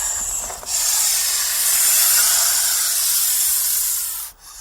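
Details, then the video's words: Snake making its defensive hiss when threatened or frightened; a long, breathy, sharp hiss that swells after a short pause and holds for over three seconds before cutting off near the end. "Il Sibilo Segreto dei Serpenti | Snake sound – Hissing sound"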